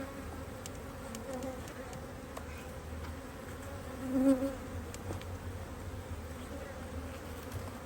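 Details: Honey bees in an Australian-designed Hive IQ beehive, opened to add a box of empty frames in almost mid-Autumn 2023 in Australia, during fine weather with the colony working strongly; a steady, low droning hum with a brief louder swell near the middle.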